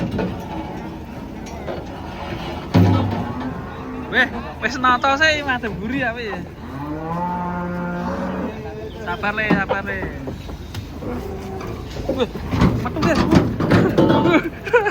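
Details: Huge cattle coming down off a truck during unloading, giving wavering, arching bellows and then a deeper drawn moo that rises and holds, amid clatter, thumps and background noise.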